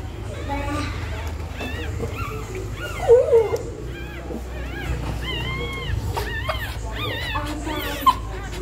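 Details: Dog in labour nesting in preparation for giving birth; repeated short arched whimpers and squeaks, rising then falling, come in bursts with brief gaps, over a low steady background hum.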